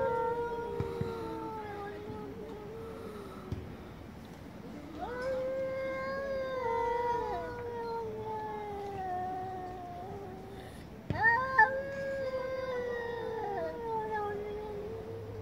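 Domestic cats yowl angrily in long, wavering, drawn-out moans that overlap one another.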